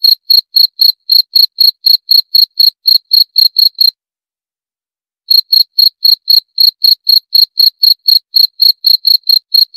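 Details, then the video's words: Cricket chirping in clean, evenly spaced high pulses about four times a second, with a bright overtone above; the chirps break off into a silence of over a second midway, then resume at the same pace. No other sounds. "7 Menit Suara Jangkrik - 7 Minutes Cricket Sound Effect"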